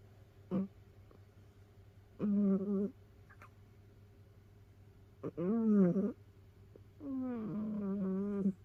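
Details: Domestic cat snoring while asleep in a cat pile, one of several rescued cats kept together. Four low, nasal, wavering snores with squeaky overtones come roughly every two seconds, with a brief click at the start and a constant low hum behind.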